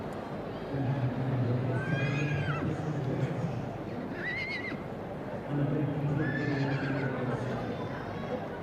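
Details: Welsh Cob yearling colt: brief high, quavering whinny notes rising and falling near the start and middle, with a lower droning, voice-like sound underneath and steady background crowd murmur.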